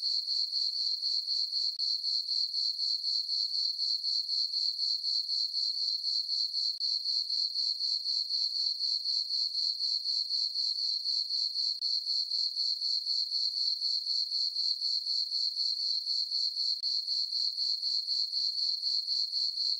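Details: Summer-night chorus of crickets in a meadow on a farm beneath a full moon and dark skies, an unbroken high-pitched chirping that beats evenly at roughly four pulses a second, nothing else audible.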